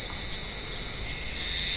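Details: Cicadas calling from an olive tree on a warm evening as the sun goes down: a loud, steady, unbroken high-pitched drone that holds without pause and swells slightly near the end.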